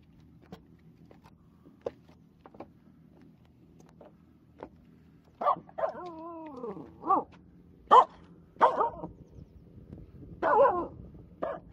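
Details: A Finnish Spitz on a jetty in a bay, barking at everything and nothing, barks in short, ringing bursts, with one drawn-out, falling yodel-like bark among them; recorded 13 August 2022.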